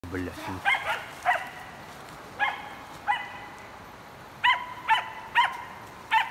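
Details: A 7-month-old female hunting dog barks repeatedly in sharp, harmonic-rich bursts, about two a second in places, while working a wild boar in an enclosure, 28 November 2019.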